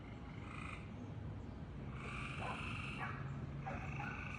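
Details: A frog making weird noises: short nasal, harmonic bleating calls, four bursts in quick succession, some with a sliding pitch, over a steady low hum and background hiss.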